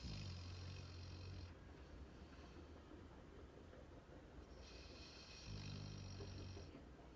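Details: Rocky, a sleeping Labrador Retriever puppy, snoring: a deep droning inhale rumble, then a quiet pause, then another low humming snore, each lasting about a second and a half.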